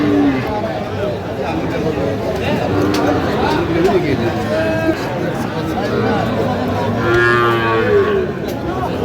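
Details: Sahiwal bull calves at a crowded cattle market, 12 August 2025. Lowing moos with layered harmonics rise near the end, over constant crowd chatter, voices and background music.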